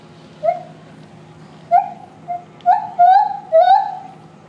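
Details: A gibbon at Higashiyama Zoo, recorded in September 2023, sings clear, hooting notes that rise and come faster toward the end.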